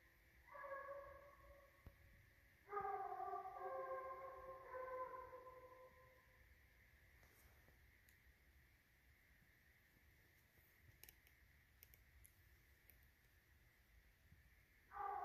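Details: Two Redbone Coonhounds tracking and treeing a raccoon, recorded 9 November 2019; distant drawn-out, harmonic bawling howls come in two bursts over the first six seconds, then a long quiet stretch with faint hum before another bawl starts at the end.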